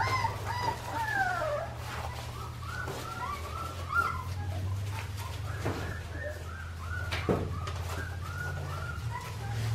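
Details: A litter of Australian Shepherd puppies, Clementine's pups, at an Oklahoma breeding farm before air travel. Many short, overlapping high squeaks and whines, some rising and falling, run continuously over a steady low hum.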